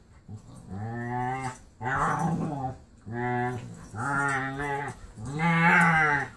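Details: During play with Marley, an adopted pit bull's foster sister lets out a steady series of five Wookie-like groaning howls, each about a second long, deep and strongly harmonic, separated by brief pauses.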